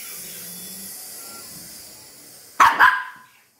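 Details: A three-month-old Lhasa Apso puppy gives two sharp, high barks in quick succession.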